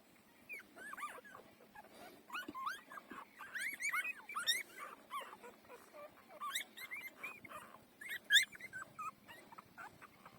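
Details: Several four-day-old puppies nursing produce thin, high squeaky whimpers, short upward and downward slurs scattered irregularly throughout, with soft shuffling and suckling noises underneath.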